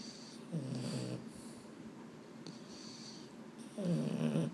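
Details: Sleepless Boston Terrier at bedtime, either Mambo or Cub, both males; two rough, low, snorting grumbles, the second rising in strength toward the end, with soft rustling indoors.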